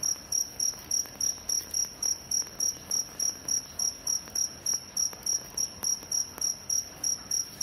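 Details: Fighting crickets chirping in a very even, rapid series of short, shrill pulses, about three a second, with faint clicks between them.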